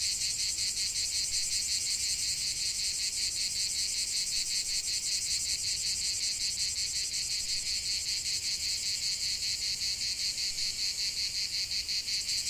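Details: Cicadas singing in nature: a dense, continuous buzzing drone, pulsing rapidly and evenly, with bright high-pitched layers and no other clear sounds.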